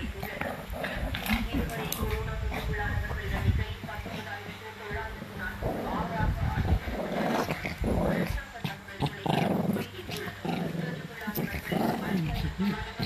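A Shih Tzu makes low, rumbling growls and short whimpers while a person talks nearby.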